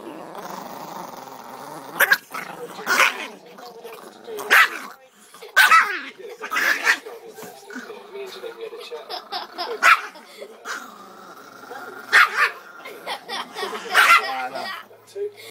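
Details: Indoor recording of an angry Chihuahua giving sharp, noisy barks in irregular volleys mixed with low rumbling growls, while a person keeps talking throughout.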